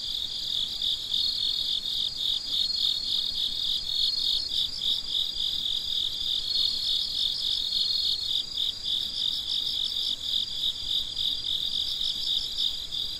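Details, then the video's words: Night crickets around midnight: an unbroken wall of shrill, rapidly pulsing chirps from many callers, even in loudness over the whole stretch, with no other sounds. "Gece Cırcır Böceklerinin Sesi - Huzur Veren Sesler - The Sound of Crickets"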